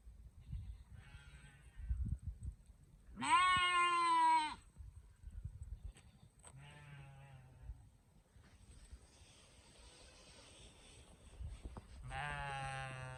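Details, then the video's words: Sheep and lamb baaing: one loud quavering bleat of over a second, then two fainter, lower bleats a few seconds apart, with low rumbling and soft rustling throughout. "Sheep and lamb baaing sounds || cute baby sheep sound effect"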